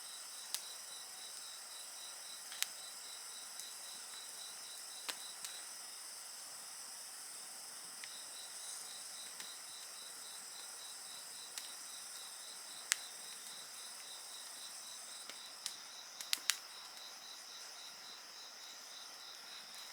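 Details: Insect voices alongside a bonfire: a constant high shrill chorus and a beaded trill that drops out briefly and resumes, punctuated every few seconds by loud cracks and pops from the fire.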